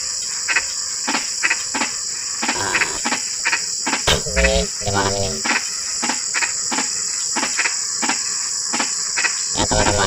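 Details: Frogs in drizzling rain give short, sharp calls about twice a second over a steady high insect drone.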